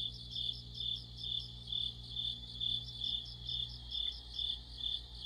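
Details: Autumn insect orchestra led by crickets beside a streetlight: a bright pulsed chirp repeating just over twice a second, a low electrical hum underneath that fades near the end.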